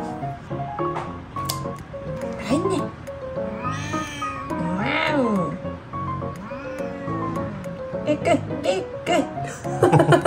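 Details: A domestic cat, the second cat placed in a floating hammock for nail clipping, gives long, drawn-out, siren-like meows that rise and fall, clearly voicing its displeasure, over background music.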